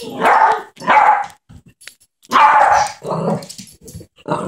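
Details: Small Yorkshire terrier barking while playing with a baby at home, loud harsh barks in a rough burst, a pause, then more barks and lower yelps.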